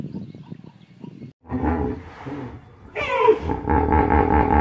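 A hippopotamus gives deep, rumbling grunts that swell into a loud, honking bellow with pulsing, wheezy chuffs, after a quieter low murmur.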